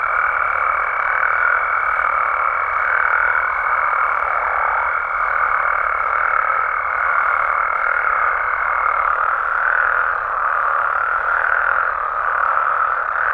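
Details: In Mexico at night, frogs and toads croak in a dense continuous chorus, overlapping calls forming a steady drone, with a sustained high pure tone for the first two thirds.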